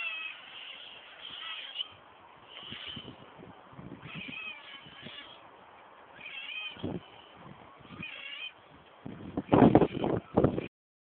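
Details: Otters uttering short, thin squeaky cries in scattered bursts, softer than usual, interrupted near the end by loud thumps and splashing-like knocks.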